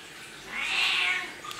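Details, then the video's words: A pet cat gives one long, even meow, smooth and tonal, swelling in the middle and fading out, against a quiet indoor background. "Talking Cat Говорящий Кот"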